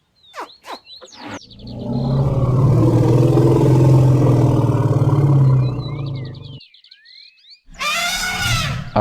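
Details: Elephant producing a long, deep, rumbling roar lasting about four seconds, steady and low with a rough pulsing texture. Twittering birds are heard before and after it, and a brighter harsh blast follows at the end.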